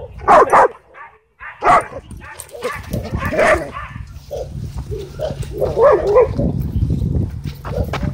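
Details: Angry dog, described as a sabertooth dog, at a dog park: three sharp, loud barks in the first four seconds, then a low, steady rumbling growl beneath muffled background noise.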